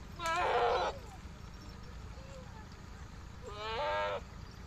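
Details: Farm goat in Pakistan, kept alongside sheep, giving two quavering, nasal bleats about three seconds apart against a low background murmur.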